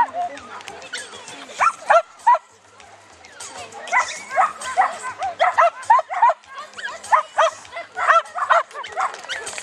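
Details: Chinese Crested dog Netty z Haliparku competing in a beginners' agility class at Mladá Boleslav on 9 May 2009. It gives sharp, high yapping barks in irregular bursts, roughly three a second at times, over crowd chatter.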